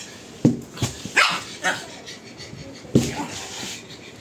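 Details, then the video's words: Pug barking: a sharp bark near half a second, a few softer yelps after it, then another bark near three seconds, with a quiet room and light background noise between them. "dog barking (pug bark)"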